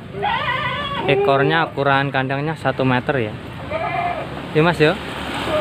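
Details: Male goats kept for Qurban at a Trenggalek farm in Panggul holding 21 bucks and 4 breeding does: a long, shaky, vibrating bleat, then shorter bleats, mixed with human speech.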